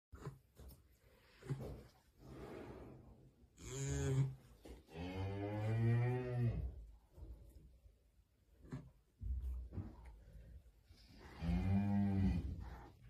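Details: A calf, referred to as a Siamese baby cow, gives deep, rich moos: one short bleat, a longer drawn-out moo, and a final moo near the end, with shuffling and handling noises between them.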